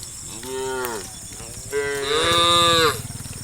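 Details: Tame cows from a herd roaming a village road, calling out to their friends: two drawn-out harmonic moos, the second longer and louder, rising then falling in pitch, over a steady high hiss.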